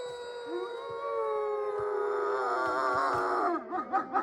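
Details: Wolfdogs, descendants of wolves, kept in an enclosure at Wolfdog Forest in snow-covered Hokkaido, Japan, give a sustained, smooth howl with steady harmonics that wavers slightly and ends in short undulating yelps.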